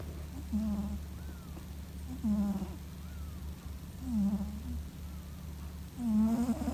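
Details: Male Scottish Fold cat, born in 2017, snoring in his sleep like an old man. Louder nasal snores with a rasping, bending tone come about every two seconds, following his breathing, over a low hum.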